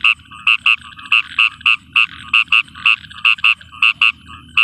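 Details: A frog in a field at night during rain repeats clipped, nasal croaks almost twice a second at an uneven pace, with a soft low rumble underneath.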